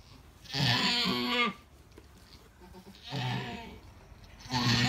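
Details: Bleating of an Alpine goat giving birth to triplets: three strained, quavering bleats, each close to a second long, spaced about two seconds apart, with a faint hum beneath.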